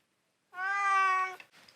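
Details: Indoor cat answering when its name is called: a single loud, steady, strongly harmonic meow lasting under a second, ending abruptly, in a quiet small room.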